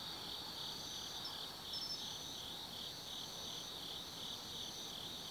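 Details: Autumn insects singing after dark in the woods of Tsukimi no Mori, Gifu, Japan, overlooking the Nobi Plain; an unbroken shrill trilling drone with a fainter, wavering higher band drifting in and out.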